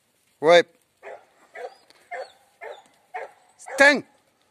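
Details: Border Collie working sheep, holding recently lambed ewes. Two loud, sharp barks, one at the start and one near the end, with quieter murmuring voices and short calls between them.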